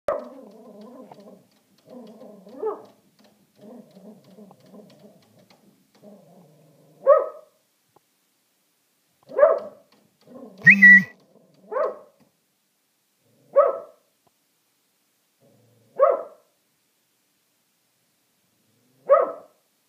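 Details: Shetland Sheepdogs reacting to a squirrel: soft whining murmurs through the first six seconds, then single sharp barks spaced about two seconds apart, with one louder, doubled bark near the middle; otherwise a quiet background.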